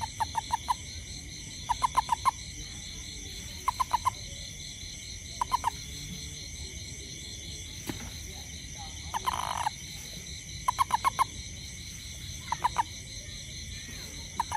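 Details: After rain, a great toad hunting for ants around a home gives short clucking notes in clusters of two to four, repeating about every two seconds.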